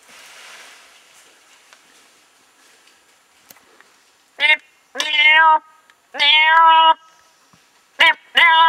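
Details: A troop of wild chimpanzees hunting, drawn in by an imitated duiker distress call, gives loud harmonic calls in bursts: a short cry, then longer rising-falling hoots and screams in quick succession, over a quiet background.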